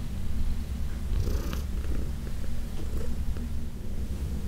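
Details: Heidi, a senior female domestic cat aged about 14, adopted from the Humane Society of New York City, purring during a massage in June 2021; steady low rumbling purr with faint rustling of handling.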